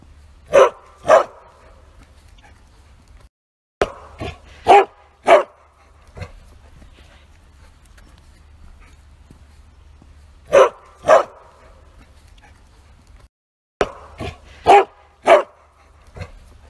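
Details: A Bearded Collie barks loudly with full force in quick pairs and triplets, pausing between bursts, while out on a walk.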